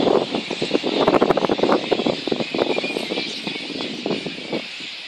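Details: Little red flying foxes at their roost in Boonah, Queensland, Australia, on 19 February 2014, before the dispersal, disturbed by council and contractor to make them fly by day; dense, rapid, irregular squabbling bursts over a steady background hiss.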